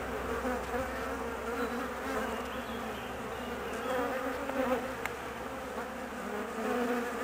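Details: Honey bee colony left nervous and anxious while its queen is away on a 45-minute mating flight; a steady dense buzzing hum with faint fluctuating tones, no other clear sounds.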